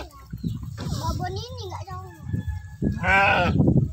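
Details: Sheep at feeding time in a village, with one loud, quavering bleat near the end and a softer wavy cry earlier, over nearby conversation and low-pitched handling noise.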